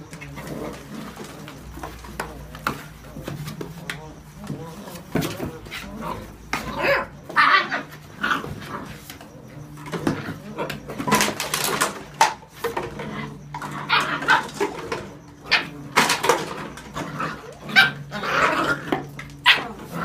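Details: Whippet puppies aged seven weeks play inside a box, giving many brief yips, squeaky whines and growly grunts in a busy, uneven stream, mixed with scrabbling, thumps and faint human speech.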